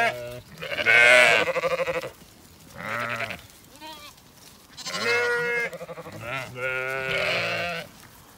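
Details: Flock of Zwartbles sheep, ewes and lambs, following the farmer and an empty bucket in County Kilkenny, Ireland, after the rams' feeding; loud strained bleats alternate with quieter lower ones, in bursts separated by brief lulls.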